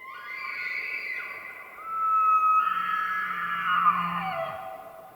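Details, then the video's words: Elk bugling during the rutting season in the White Mountains of Arizona: a long, high, whistled tone that rises, holds and slides down, with a low grunting undertone beneath it. "Elk Bugles | the HAUNTING SOUND of rutting season"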